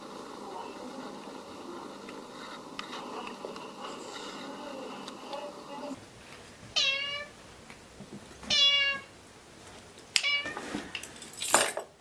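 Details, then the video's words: Cats and kittens meowing in a compilation: after six seconds of low indoor murmur, three short clear meows arrive about every two seconds, followed by a sharp squeaky cry, with speech nearby. "Funny cats and kittens meowing competition"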